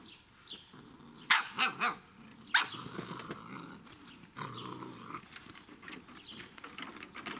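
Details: Irish Setter puppies, seven weeks old, of the S litter at the Altheimer Herrenwiesen kennel: a quick run of three sharp barks, then a fourth, followed by rough, low growling and scuffling noises from the playing litter.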